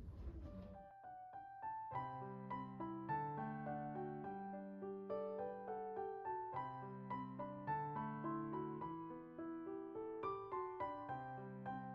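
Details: Gentle piano music plays throughout, steady repeated chords and melody, with no animal voice heard.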